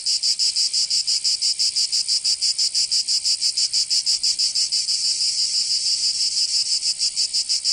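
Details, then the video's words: Summer cicada chorus from Provence in the south of France: a shrill, high buzz beating in very regular pulses of about three per second, loud and constant, with no other sounds. "Canto Cigarra"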